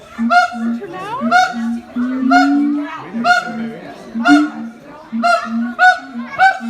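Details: Siamang parents singing their high-low harmony, said to reach 4 km, the infant silent against its mother; loud barking cries repeat about once a second over a steady low hooting line, one call sliding sharply upward.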